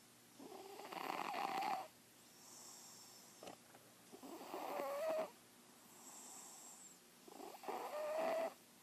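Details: Sleeping kitten snoring, three long raspy breaths roughly every three seconds, each a rough wheezy rush with a faint whistled tone, quiet pauses between.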